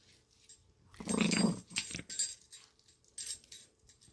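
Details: Playful Chihuahua called Lady, happy turning feisty, gives one brief buzzing growl lasting about half a second, followed by jingling and scuffling sounds.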